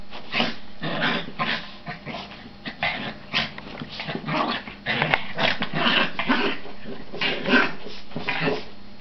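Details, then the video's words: Dogs at play fight indoors: dense growling snarls mixed with high yips and brief whimpers, nearly continuous with short pauses. "dog fight"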